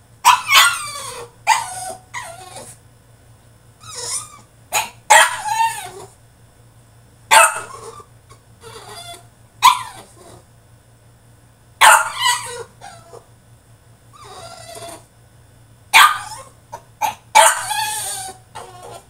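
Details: A caged French Bulldog having a tantrum gives harsh, irregular barks and yips with whining, drawn-out cries between them, about one burst every few seconds over a faint constant low hum.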